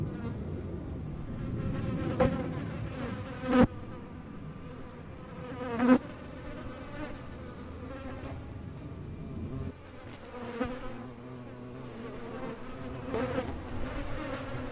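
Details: Flying hornets give a wavering, humming buzz with rippling harmonics throughout, interrupted by several loud knocks or bumps about every two seconds and a drop in level near the tenth second.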